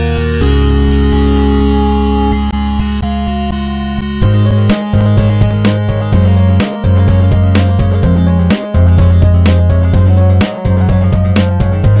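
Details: Loud electronic synthesizer music with a pulsing bass line and sharp beats; no animal sound is heard.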